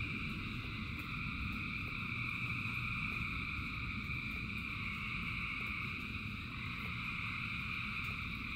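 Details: Frogs calling in rain by the thousands: a dense, continuous buzzing chorus holding several even high pitches, with faint ticks of individual calls and a steady rushing rain beneath.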